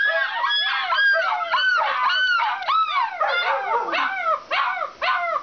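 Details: Several Alaskan Malamutes at a kennel in a dense chorus of arched yelping howls, overlapping voices, about two calls a second, the pitch bending up and down.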